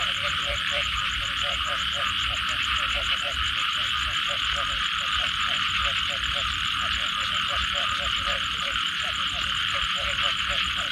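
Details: Frogs and small toads calling after rain: steady rows of short croaking notes, about three per second, ride under a loud continuous trilling band and a fine high pulsing buzz.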